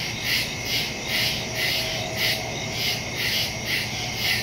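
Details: Crickets calling in the woods after dark on September 2, recorded by phone with a stereo microphone: bright high-pitched pulses swell about twice a second over a constant shrill trill.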